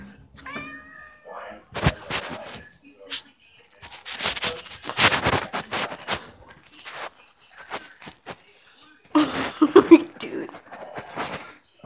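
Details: Cat giving a wavering, tonal meow at the start, followed by louder caterwauling cries mixed with human voices and handling noises through the rest.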